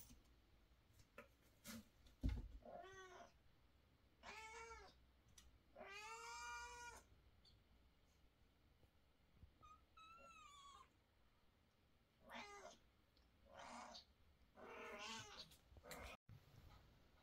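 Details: A mother cat in a bad mood, carrying and scolding her kittens, gives a run of loud, drawn-out meows.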